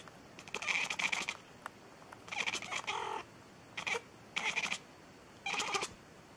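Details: Repeated meows from a cat meowing nonstop, five drawn-out bursts about a second apart, one with a clear wavering tone, over a low constant hiss.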